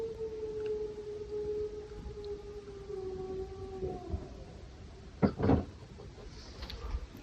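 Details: Gray wolf howling at night in the Northwoods of the Upper Peninsula of Michigan, heard from a cabin: a long steady tone sliding slowly downward over about four seconds, a fainter higher howl alongside, then brief broadband knocks and handling noise.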